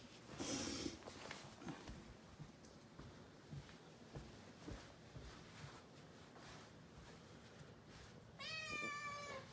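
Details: Young rescued kitten in a house at New Year, one of two, exploring after a treat. Soft thumps and rustling come first, then one clear, bright, slightly quavering meow near the end.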